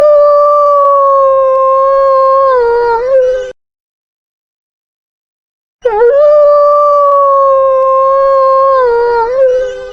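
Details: Wolf howling twice, each long steady note holding level for about three seconds before wavering and dipping at the end, separated by a clean silent gap of roughly two seconds.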